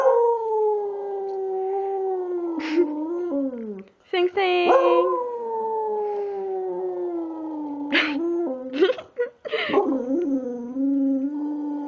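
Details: Precious, a female pet dog in a talkative mood, sings in sustained tonal howls that waver and dip in pitch, broken by short yelps and sharp breaks, with a person's voice talking to her now and then.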